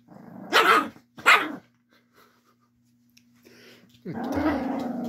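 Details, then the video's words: Angry chihuahua defending its bed, two sharp barks followed after a pause by a low rumbling growl that sets in and continues steadily, with a faint steady hum in the background. "Angry Chihuahua Defending bed"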